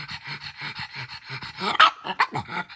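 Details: A pug, apparently upset over a missing blueberry from its packet, huffs and snorts in quick rhythmic bursts, then lets out a short, sharp bark.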